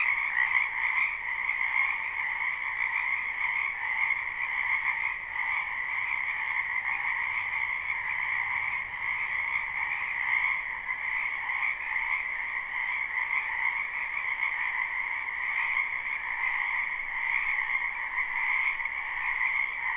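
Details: Live, unlooped recording of frogs in a wetland during spring: a loud, steady chorus of rapid overlapping croaks in two stacked pitches, flickering slightly throughout.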